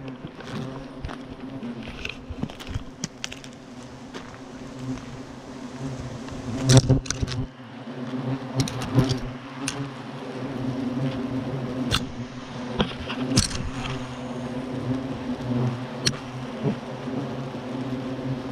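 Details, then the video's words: Agitated European hornets still flying at Clavier after their nest was destroyed; continuous low layered buzzing drone with many hornets passing close, plus intermittent clicks, knocks and faint background music. "Les frelons sont furieux!!!"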